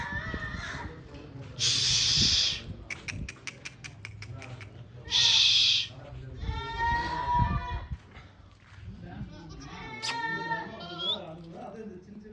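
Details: Goats on a farm bleating with tremulous, nasal calls around the middle and end, between loud hissing noise bursts, a rapid train of clicks and human voices.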